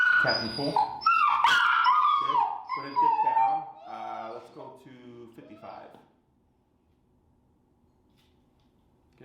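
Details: Finnegan, a very vocal feral dog, in an early training class on the place command and an introduction to the e-collar: high, falling whines and yelps pour out over a trainer's voice, then fade into near silence.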